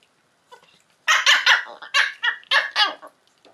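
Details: Two Schipperkes fight, snarling and yapping in harsh, rapid bursts.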